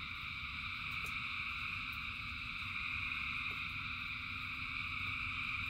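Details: A rain-soaked frog chorus forming an unbroken, pulsing high-pitched trill in stacked layers, while a dull low rumble runs underneath and a couple of sharp ticks stand out.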